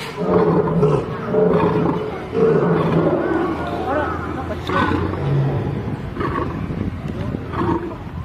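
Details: Pair of lions in a fight: continuous rough snarling and growling, dense and noisy, with repeated short bursts and a deep low rumble underneath throughout.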